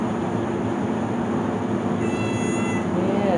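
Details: Abandoned cat sheltering over winter in a basement, one of several left behind when neighbours moved; a single drawn-out harmonic meow rises and falls near the end over a steady mechanical hum, with a person talking.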